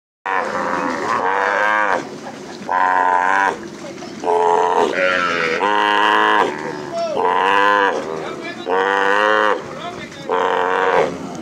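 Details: Cattle calves bawling after being released from branding during ranch work on the plains; loud, harmonic moos repeat about every one and a half seconds, some wavering or rising, with short gaps between calls.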